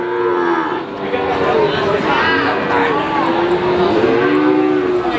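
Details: Cattle mooing at Pati's Wagenan cattle market, overlapping calls from more than one animal, each a sliding, arching low tone, set against steady crowd and market noise.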